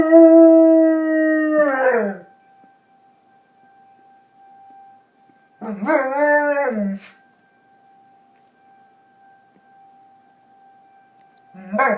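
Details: A dog howls along with a tornado siren, giving one long falling howl and then a shorter wavering one, with the siren's flat steady tone audible through the quiet stretches between them.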